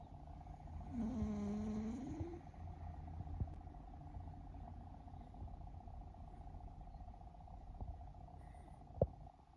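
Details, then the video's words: Sleeping pet cat in Japan, one of three rescued stray siblings, snoring and purring while kneading the air; a low steady rumble throughout, a brief voiced murmur with a slight rise near the start, over a constant indoor hum. "イビキをかく猫ゴロゴロ音に空中ふみふみ♪Snoring Cat"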